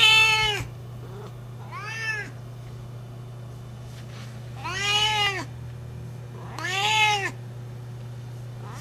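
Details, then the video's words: Female Siamese cat, 12 years old, calling while looking for love: four drawn-out, wailing meows with rising-then-falling pitch, three loud and one softer, spaced about two seconds apart over a steady low electrical hum. "Loud Siamese Cat - Part 2 - Sienna is looking for love"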